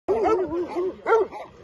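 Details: Albanian Molossus dogs guarding their territory give two bursts of deep, rough barks with strong harmonics, a brief pause between them and a softer trailing bark at the end.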